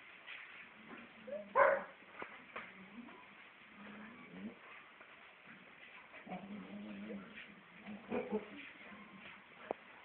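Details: Four-month-old female Siberian Husky puppy indoors: one sharp yelp near the start, then low, wavering whines rising and falling across the rest, with faint background noise between.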